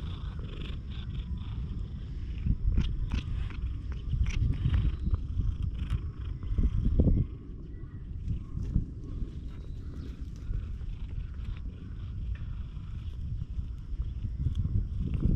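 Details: Low continuous purring from a stray cat that has lost one eye and is remarkably friendly, rising and falling slightly, with scattered clicks and a brief louder burst midway.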